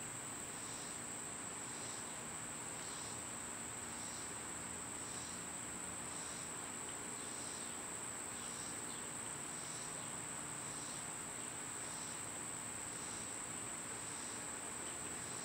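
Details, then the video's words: Loud summer cicadas: a sustained shrill tone holds steady while softer buzzy pulses repeat roughly every second, evenly spaced from start to end, with gentle ambient outdoor noise beneath. "Birds & Squirrels w/ Cicada sounds"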